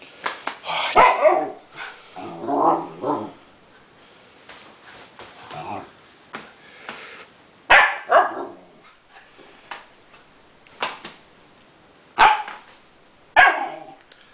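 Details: Siberian Husky puppy yipping and barking in short bursts, some sharp and isolated, others in quick clusters, with softer grumbling sounds between them.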